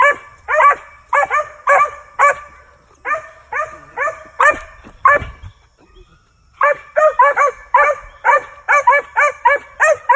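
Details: Young male Original Mountain Cur squirrel dog barking during hunt training; bursts of sharp, harmonic barks at roughly 100 a minute, a pause of about a second midway, then a faster run.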